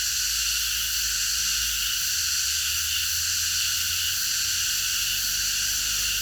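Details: Night chorus of many cicadas in a park, a steady high-pitched hiss-like buzz that never pauses, with a faint low hum running underneath.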